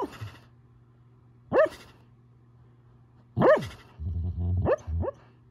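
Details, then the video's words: Sleeping male Siberian Husky gives a few sharp rising whoops spaced a second or two apart, with low muffled huffs in between and a faint steady hum behind. "Husky sleep whooping"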